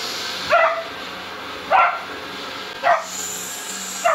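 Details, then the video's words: Dino, a Beagle puppy, barks at a vacuum cleaner while defending his bed and toy: four short, sharp barks about a second apart over a steady machine hum. "Beagle puppy saved his bed and toy from vacuum"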